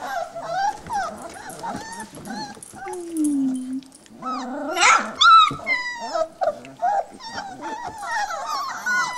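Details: Puppies around three and a half weeks old tussle in their whelping box: overlapping thin squeaks and whimpers, a low short growl near the middle, then a sharp yelp and more rapid chattering whines from several pups.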